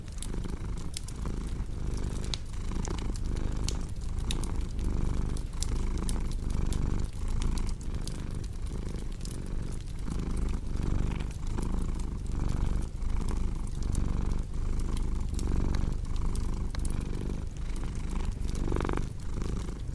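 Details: Steady rumbling purr of a cat that pulses evenly with inhale and exhale for the whole stretch, while a cozy fireplace crackles and pops sharply on top.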